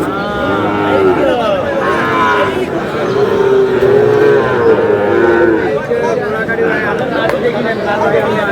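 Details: Sahiwal calf lowing in drawn-out, harmonic moos that bend and hold steady, while men talk close by throughout.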